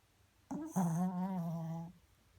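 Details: Pomeranian dog snoring: one smooth, steady, droning tone of about a second and a half with a short lead-in, in a quiet indoor room.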